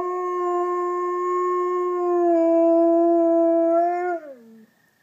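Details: Wolfdog howling: a long, steady, clear tone held for about four seconds with a slight shift midway, then sliding downward and fading out at the end.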